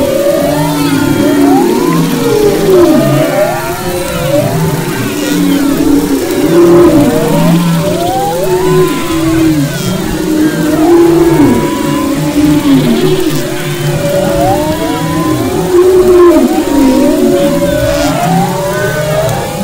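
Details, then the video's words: Humpback whale song recorded off the west coast of Maui, February 2011: dense overlapping sweeping moans and upswept whistles, some rising and falling, layered over a constant low rumbling undersea background. "Humpback Whales and Their Songs"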